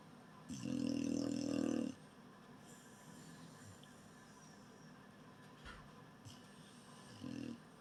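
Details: A beagle asleep gives one long, rough, buzzing snore over a second long, followed by quieter breathing and the start of a fainter snore at the end.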